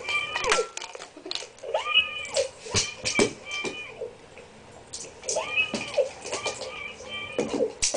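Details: A female Shiba Inu gives high, bending whines and yelps while trying to get treats out of a treat ball, over clattering knocks as the ball rolls.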